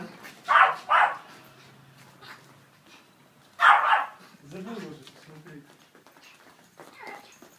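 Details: Yorkshire Terrier wearing boots for the first time, giving loud sharp barks: a quick pair of barks near the start, then a single bark a few seconds later, followed by softer voiced sounds and a person speaking quietly.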